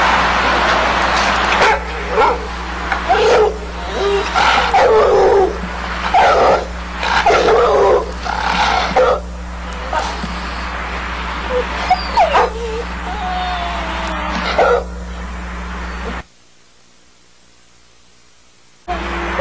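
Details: American Staffordshire Terrier, the champion Sindelar's Roc, barking in harsh broadband bursts about once a second, mixed with a few higher whining tones. A steady low hum runs beneath, and a short silent gap comes near the end.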